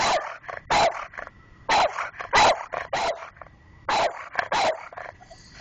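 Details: Guarding the house's mail box slot, the dogs Sidney and Keane give loud, clipped barks, mostly Sidney, in pairs and singles separated by pauses of about a second, with quieter yips between.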